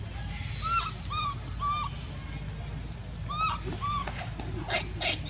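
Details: Hungry infant monkey Leo pleading to nurse, uttering short rising-then-falling whimpering coos in small clusters, thin and tonal, over a low background hum.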